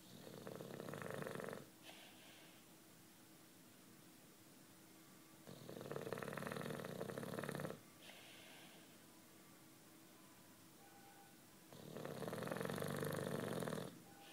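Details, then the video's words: Deeply asleep 9-year-old British Bulldog, Juanito, producing loud raspy snores, three drawn-out rattles spaced about five seconds apart, each followed by a short wheezy exhale in a quiet room. "Bulldog Snoring"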